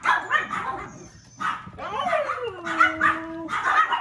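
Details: Puppy offered for sale by a breeder, filmed on March 10, giving a few short, bright, yappy barks spaced about a second apart, with a drawn-out whine that slides downward in the middle.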